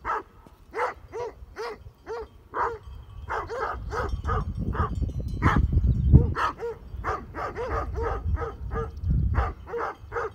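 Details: Great Pyrenees sheep dogs guarding their flock near Heber, Utah, confront mountain bikers with deep, rapid barks in irregular bursts, roughly three per second, over low wind rumble.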